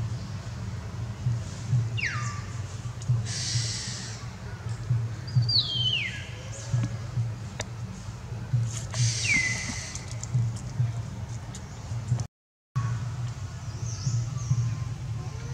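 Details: Amari troop monkeys, mothers with babies, calling for their young and their leader to return: three shrill, sharply falling squeals spaced a few seconds apart, with clicks and a constant low rumble beneath.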